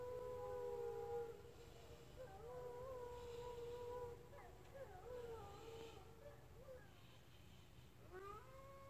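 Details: Female Blue Bay Shepherd howling after being asked to sing, long wavering tones holding steady then breaking into shorter sliding notes, with a rising howl at the end.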